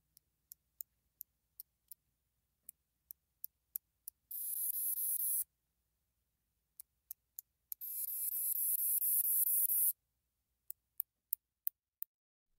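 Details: Northern bush katydid (Scudderia septentrionalis), a common Illinois/Midwest species, singing fairly active sharp high ticks interspersed with two longer, hissing buzzes.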